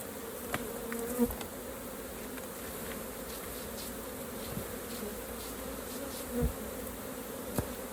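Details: Busy hum of honey bees at a hive during harvest of raw honey, steady buzzing punctuated by several knocks and clicks of frames being handled.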